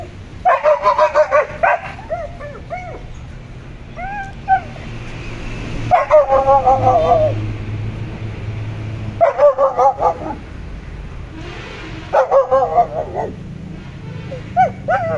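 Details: Pet German Shepherd and Boxer dogs heard in bursts of rapid, harmonic barks and yips about every three seconds, with short whining notes between volleys over a low background hum.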